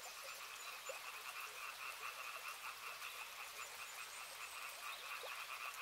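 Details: A river frog chorus of quick pulsing croaks, two banded tones under a loud hiss of flowing water, with scattered faint clicks and chirps throughout.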